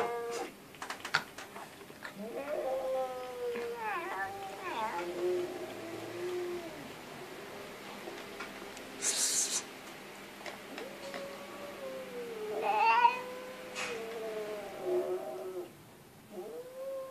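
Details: A cat meows repeatedly indoors over a steady background hiss, giving drawn-out, bending calls and a few shorter chirpy ones, with brief clicks and a rushing noise partway through.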